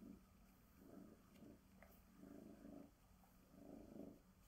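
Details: Female Bengal tabby cat indoors, being groomed with a glove, purring in low rumbling pulses that swell and fade roughly every one and a half seconds, with a faint steady background hum.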